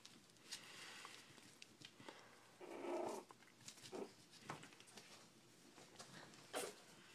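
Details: Playful four-week-old Shih Tzu puppies at feeding and play time indoors; one brief, tonal growl-whine midway, surrounded by scattered clicks, scratching and light rustling.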